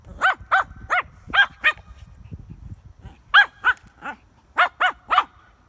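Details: Shih Tzu tussling with a frisbee, letting out bursts of high, nasal, arched yaps about every third of a second, five in a row, a pause with soft scuffling, then another run of six.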